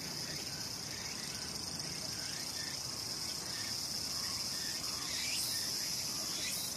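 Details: Summer cicada chorus in the mountains of Sakurazawa, Yorii, Saitama, Japan; an unbroken piercing high-pitched whine holding steady throughout, with scattered faint chirps and a brief rising burst near the end.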